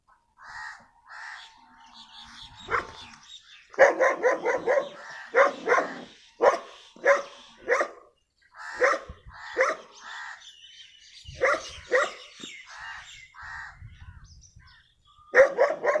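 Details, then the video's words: Brown dog of a rare breed, called very dangerous, barks in clustered bursts of sharp woofs separated by short silences, with higher chattering calls mixed in at times. "Dog barking"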